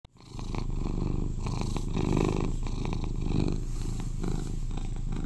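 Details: Eleven-year-old British Shorthair cat, a cuddly household pet and its loudest purrer, purring indoors: a steady low rumbling purr, strongest below a few hundred pitches, swelling slightly around two and three and a half seconds, with faint clicking rustles above.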